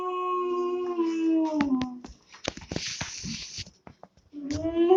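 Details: Two-month-old German Shepherd puppy howling: a sustained tonal howl slides downward over two seconds, followed by clattering and rustling noise, then a new rising howl begins at the end.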